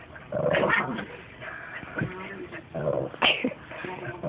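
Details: A pug growls and yips in short rough bursts at a Boston Terrier it hates, an all-day occurrence, while people cheer it on.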